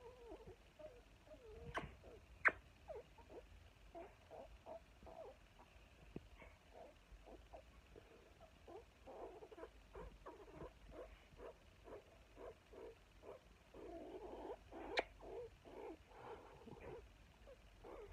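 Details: A meerkat (Suricata suricatta) gives soft, short peeping calls in a quick, steady series, with a few sharper clicks.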